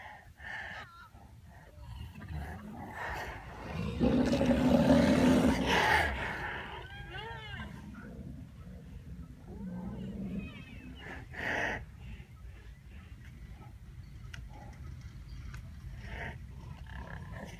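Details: White rhinoceros, whose calls range from calves' squeaking to adults' snarling, gives a harsh, breathy snarl followed by high, squeaky wavering calls.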